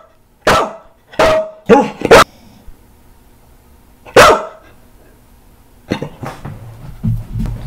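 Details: Rescued senior Staffordshire Bull Terrier mixes barking loudly indoors during a lemon taste test: five sharp, harsh barks in quick succession, a lone bark after a pause, then softer broken barks and low grumbling at the end.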